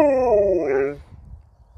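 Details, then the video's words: Talkative pup Sherpa, scolded for waking his owners at 5 a.m., gives a long groaning whine that starts strong and falls away after about a second, leaving quiet room noise. "This dog wont stop talking!"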